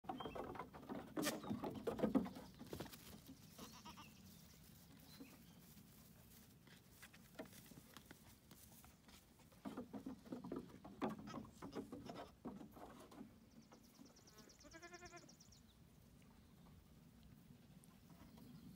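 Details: Young female goats playing on their new playground; a single wavering, harmonic bleat near the end, with frequent hoof clomps and thumps throughout and faint bird chirps.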